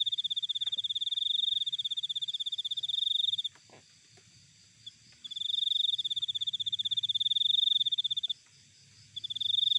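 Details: Cricket sound taken from nature: high-pitched pulsed trills of about three seconds each, separated by short pauses, three bursts in total, with a faint click and low background rumble.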